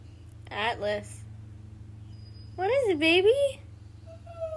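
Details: Atlas, a Siberian Husky, complains because he wants to be outside with the boys, recorded on an iPhone XR; two short wavering vocal bursts, the second longer and sliding up and down, over a steady low hum.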